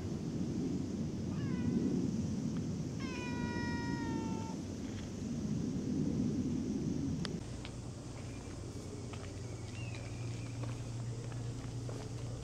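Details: Cat, filmed in August 2024, utters a short meow, then a long, steady, drawn-out meow lasting over a second, against a rumbling outdoor background with faint later calls.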